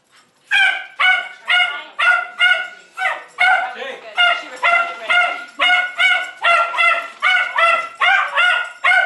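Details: Shrill, tonal yips from Jay, a pet Jack Russell Terrier said to have dependency issues, come in a steady run of about two per second after a brief quiet start.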